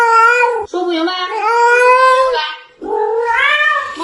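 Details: Yuanbao, a pet cat, gives long drawn-out meows indoors: two extended, wavering wails with rich harmonics, the first about two and a half seconds long, separated by a short break, then a rising second cry.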